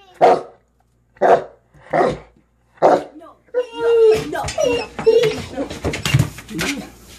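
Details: A Kuvasz dog barks after spotting a fox: four evenly spaced deep barks about a second apart, followed by a dense tangle of overlapping barks, whines and louder mixed sounds.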